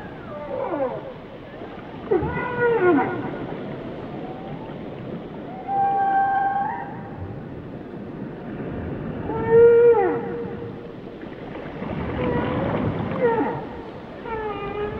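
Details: Whale song: a sequence of varied tonal phrases, rising and falling moans with rich harmonics and a few flat sustained notes, about every three to four seconds, against underwater hiss.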